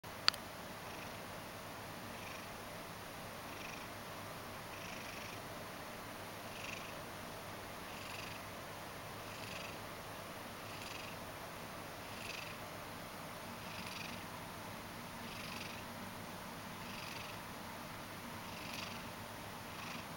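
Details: Mojio, a Ragdoll cat, purrs while half asleep and kneading indoors: a steady, low rumbling purr runs throughout, with soft breathy puffs recurring roughly every one to one and a half seconds.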